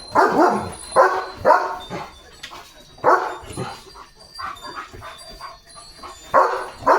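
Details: Leo the German Shepherd, a pet dog, barks as rain arrives: a burst of loud, rough barks roughly once a second, a short pause, then more barks, with soft background music.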